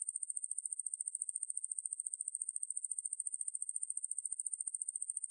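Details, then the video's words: Continuous shrill buzzing from a Ruspolia lineosa katydid, from National Institute of Biological Resources material dated 2020; rapid regular pulses at a high pitch, steady in loudness throughout the five seconds, clean background. "왕매부리, 여러번 듣기, 곤충소리"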